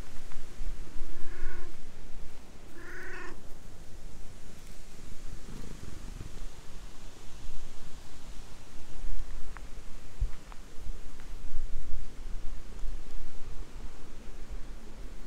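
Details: A stray cat outdoors talks to a person in cat language and is then petted. Two short, harmonic meows come close together in the first few seconds, followed by soft rustling and low background noise.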